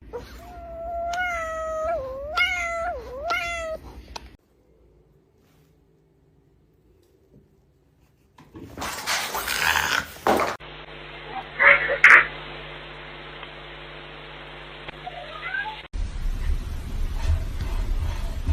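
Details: A cat gives a quick run of four or five whiny, wavering meows in the first four seconds. Near silence follows, then loud noise, music and voices.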